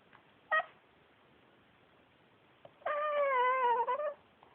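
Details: Male Pekingese adopted from a shelter, talking indoors: a short sharp yelp, then a drawn-out wavering whine of about a second and a half, rich in harmonics, rising and falling slightly at the end.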